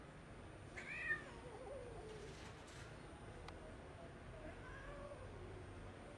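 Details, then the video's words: Abandoned cat about six months old, left on the street by its owner the day before and agitated and nervous, meows twice: a loud wavering harmonic cry near one second, then a softer drawn-out meow around five seconds, over a steady urban hum. "Abandoned Cat is Very Agitated"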